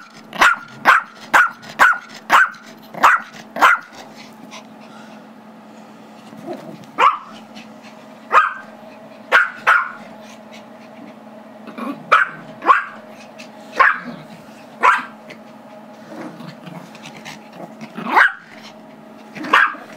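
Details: Gizmo, a 5-year-old Chihuahua/Yorkie mix, barking at his younger brother Tigger, a 2-year-old Yorkie, because he wants the squeaky toy; sharp high yappy barks in a fast burst, then scattered barks with pauses, squeaks and play noise between.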